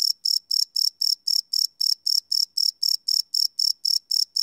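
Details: Night-time cricket chirping captured live with a Sony PCM D100 recorder, each chirp a shrill buzzy burst repeated roughly twice a second in an even rhythm against a silent background.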